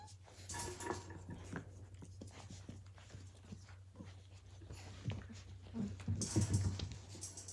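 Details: Australian Cattle Dog (blue heeler) puppies from Willow and Tory's 2020 litter at Tin Roof ACDs, playing; mostly rustling and panting, then a burst of short, low, voiced growls and whimpers near the end over a steady low hum.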